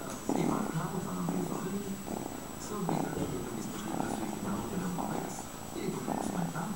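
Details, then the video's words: Purring from Fred the cat: a continuous low rumble that swells and fades in breathing cycles under a second long, with a thin tonal hum running throughout. "Purring Fred/Мъркащ Фред"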